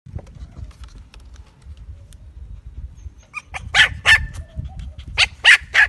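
A Maltese gives a quick run of sharp, high-pitched yaps after a quiet start.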